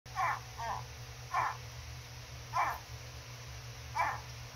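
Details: Gharial (Gavialis gangeticus) hatchlings chatter with one another, giving short, nasal chirping grunts at irregular intervals of about a second.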